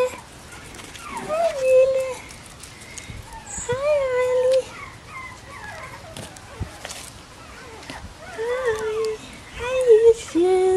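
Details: Bichon Frisé puppies, litters O and P, at a small kennel in Vejle, Denmark: drawn-out, slightly rising whines and squeaks coming in scattered bursts, with soft rustling and handling noises between them.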